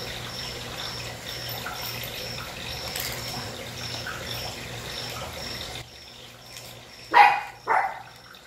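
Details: A pack of 50-day-old puppies swarms and playfully attacks a person indoors. Near the end, two short, loud yaps come half a second apart, after several seconds of steady low hum with a faint, evenly repeating high tone.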